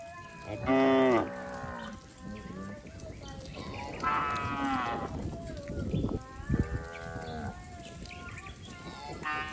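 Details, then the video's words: Cattle and bulls in a herd leaping and running down a green village hillside: several harmonic moos, a strong one near the start and two more later, over a steady rustling background. "suara asli sapi"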